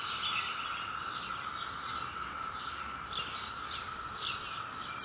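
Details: Cicadas drone in a steady, high chorus in a residential neighborhood on May 22, 2021, with faint pulsing swells rising over the constant hum.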